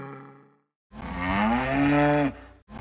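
A zebu gives one deep, drawn-out moo of about a second and a half that slowly rises in pitch, after a brief fading tone.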